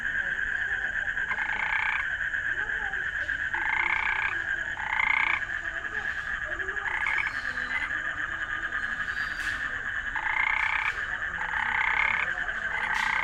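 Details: Frogs calling: short, blocky nasal croaks repeated in bursts every one to two seconds, often in pairs or triplets, over a steady high trilling chorus that runs throughout.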